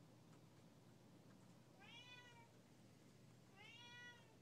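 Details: A two-year-old Siamese cat gives two drawn-out, nasal meows, each rising and then sagging, over a low indoor hum, apparently protesting when the owner steps outside.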